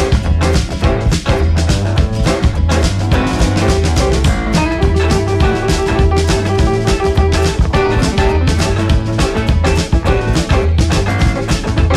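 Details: Loud, steady pop backing music with a thumping drum kit, bass drum and rimshots throughout, and no animal sounds.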